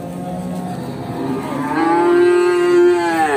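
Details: Pegon cattle at Bekonang livestock market, Sukoharjo, Indonesia, with a prized Pegon calf up for sale; a single drawn-out moo swells in the second half over low background music.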